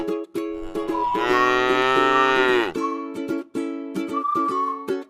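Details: A single sustained moo lasting nearly two seconds comes from tame cattle resting in a rice field. It is set against continuous plucked string music that carries on after the call ends.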